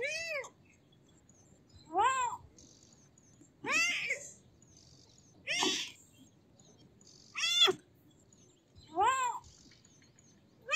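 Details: Kitten repeating six high, arched meows at fairly even intervals of just under two seconds, each clear and harmonic, over a soft, steady background.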